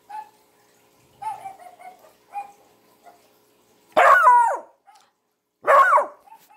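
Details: Domestic dog reacting to a whistle and other sounds played to it. Soft whines and whimpers come first, then two loud, sharp, harsh barks about two seconds apart, each dropping in pitch.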